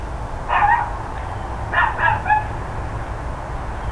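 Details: Barking from neighbours' dogs on the morning of 13 October 2012, around 10 AM: a single bark, then a quick run of three barks about a second later, heard against constant low-pitched background hum.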